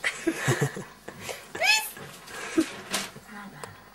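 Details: A pet cat, a female, indoors in a small room, prompted by people to say yes: one short arching meow rising then falling midway, surrounded by Norwegian speech, coaxing 'pis pis' calls and light laughter.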